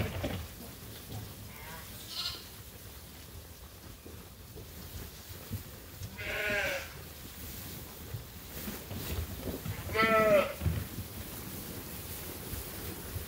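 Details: Sheep and lambs at Ewetopia Farms wait for their feed during daily chores. Three wavering, harmonic bleats come a few seconds apart, the last the loudest and most quavering, over low farmyard rumble and shuffling.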